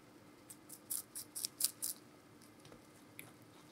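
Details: Meonji, a giant rabbit, munching vegetables in a small room: quick crisp crunches, about four per second in a short burst, then quiet.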